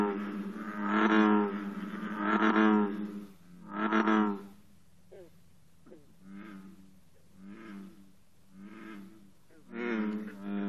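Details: American bullfrogs drone deep, resonant, rumbling notes, each about a second long, in an overlapping morning chorus at 54 degrees, with green frogs twanging in the pauses between verses.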